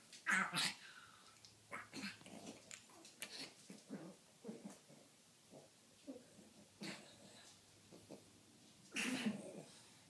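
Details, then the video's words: Pekingese pair at play, a rough sequence of rapid snorting, huffing bursts and low growls about four per second, with a loud harsh outburst at the start and another near the end. "Pekingese Play Party"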